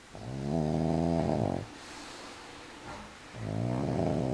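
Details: Sleeping pug lying on his back, legs in the air, giving deep, rattling, tonal snores that each last about a second and a half, with a quieter pause of nearly two seconds before the next snore begins.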